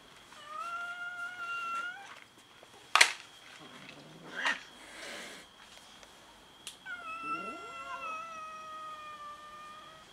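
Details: Domestic cats quarrelling over food: a long level meow, then sharp bangs and growling scuffle noises, followed by another long meow that overlaps a lower, sliding rising wail.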